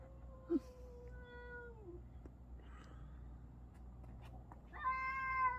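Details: Indoors, a domestic cat yelling at another cat gives a long, level meow that drops away at the end, then after a pause a louder, bright meow, with low hum and a person speaking softly to calm it.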